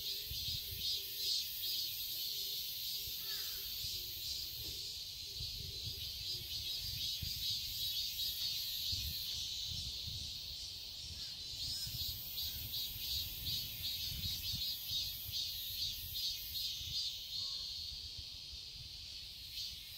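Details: Summer cicada chorus in a Seoul garden, Korea: a steady high-pitched whirring drone that swells and pulses rhythmically, with faint low hums and a few brief low notes early on.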